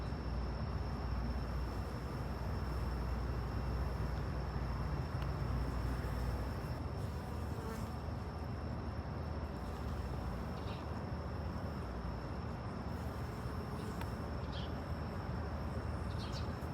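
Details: Honey bees drinking water make a steady, low, droning buzz that fills the air without pause.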